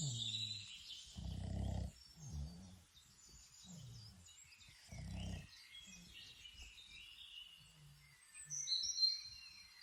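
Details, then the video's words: Outdoors in Ireland, Toby the Boston Terrier snores in his sleep, gravelly rumbling snores alternating with faint whistly breaths, amid busy chirping birds. "My dog snoring outdoor | Boston Terrier"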